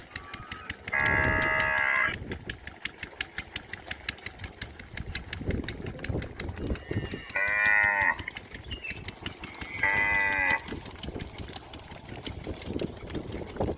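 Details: Village cow near the house calling out for grass to eat; three separate moos of about a second each spread over the stretch, accompanied by a constant rapid mechanical ticking in the background.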